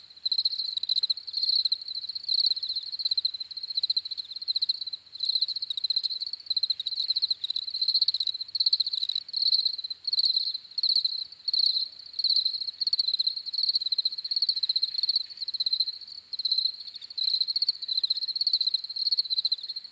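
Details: Crickets chirping in a dense, high-pitched chorus of rapid pulsed trills that come in short bursts of uneven length, overlapping almost without pause. Steady and continuous, with no other sounds.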